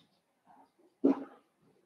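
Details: Blenheim Cavalier King Charles Spaniel puppy in a home puppy pen: one abrupt, fairly low bark that fades quickly, with faint soft murmurs before and after.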